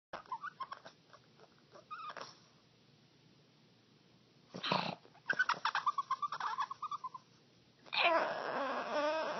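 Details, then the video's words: Dog making strange noises: short whiny yelps and wavering, warbling whimpers in bursts, with a rapid run of pulsed squeaks midway and a harsher wavering cry at the end. "Strange Dog Noises"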